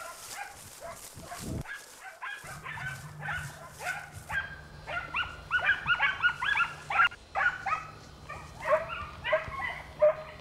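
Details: Pack of Segugio Italiano hounds in close pursuit of a hare in an Italian vineyard, early 1990s; dense overlapping yelping bays repeat rapidly and grow louder, with a low steady engine-like hum underneath.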